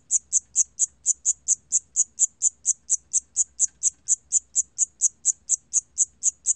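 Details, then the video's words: From a 2020 National Institute of Biological Resources recording, a cricket gives sharp, high chirps in a regular series of roughly four per second, clear against silence. "샴귀뚜라미, 1번 듣기, 곤충소리"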